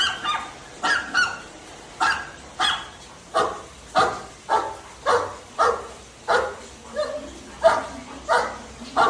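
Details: Steady barking from Dhoni, a household Labrador Retriever: evenly spaced, punchy woofs repeated about every two-thirds of a second for several seconds against a quiet room.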